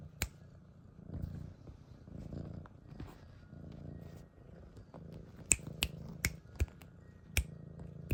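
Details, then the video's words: Siamese kitten purring: a low rumbling pulse rising and falling in soft waves, overlaid by sharp clicking snaps in the later seconds, indoors. "She makes purring noises !"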